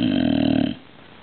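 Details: Nala, a dog the day after surgery and on medication, snoring loudly while unwell: one harsh, low, rattling snore lasting under a second, then quiet indoor background.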